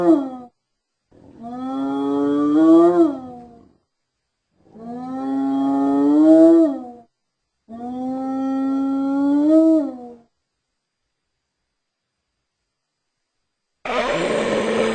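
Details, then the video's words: Hyena producing three long, drawn-out calls that waver and climb in pitch before dropping away. They follow one another every few seconds. A pause comes next, then a loud noisy rush at the end. "Hyena Sounds"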